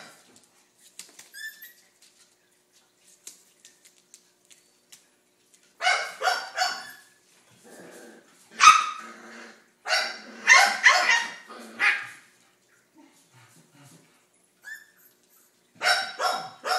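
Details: Riley, a pet dog fond of the puppies she looks after as her babies, barks repeatedly: loud, rough, harmonic barks in bursts of two or three, with quiet pauses between and small indoor clicks at the start.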